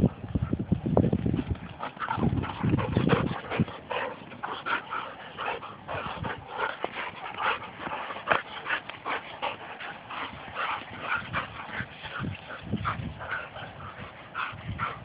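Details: A pair of pet Labrador retrievers in rough play-fighting: deep rumbling growls during the first few seconds, then a rapid, irregular run of short yips and whines over steady scuffling and thumping.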